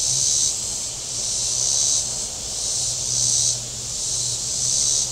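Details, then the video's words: Cicadas calling from the shore of Table Rock Lake in southern Missouri on a very warm Saturday: a dense, buzzy high hiss swelling and fading about four times in five seconds, over a faint low boat-engine hum. "Boating Lake Sounds and Cicadas"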